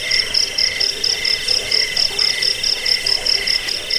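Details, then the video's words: Crickets used as a rat repellent, sleep aid and model for bird training: sharp high chirps burst about three times a second in a regular beat, over a continuous lower trilling drone. "Suara jangkik pengusir tikus pengantar tidur"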